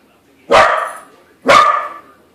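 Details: Two loud, sharp barks about a second apart from a corgi meeting a balloon version of itself, each bark bright and ringing with a short decaying tail, in an otherwise quiet room.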